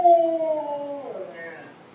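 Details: A Siberian Husky "woos" at its stuffed toy hippo during play: a long, drawn-out tonal cry that starts clear and fairly high, slides down, breaks into a rougher, wavering tail and fades over about a second and a half.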